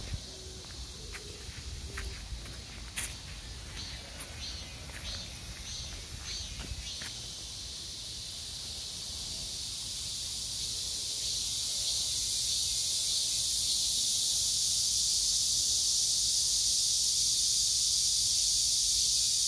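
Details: Cicada drone beside a date-plum tree, morning glories, pumpkin leaves and peppers; brief scuffing and voices with rattling pulses open the recording, then a shrill steady buzz rises gradually and fills the second half.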